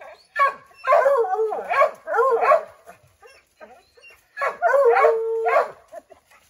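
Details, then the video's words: Redbone Coonhounds with a chipmunk treed in an oak, barking and howling to flush it out; drawn-out, wavering bays, one ending in a level, held howl. "Redbone Coonhounds Tree a Chipmunk"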